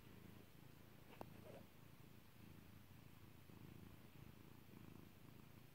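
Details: Pet cat named Kairi purring while being petted indoors: a steady low rumbling purr in cyclic pulses, with one sharp popping click near the start.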